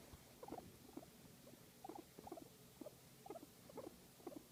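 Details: Massaged guinea pig making quiet cute sounds: brief paired squeaky chutters in small groups about twice a second, soft against low background hum.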